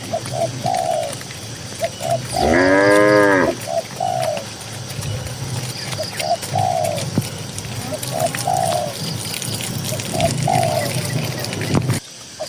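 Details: Tame cattle grazing in a cool green field in the countryside give a single long, harmonic-rich moo lasting about a second, while short, soft dove-like coos repeat steadily in the background throughout.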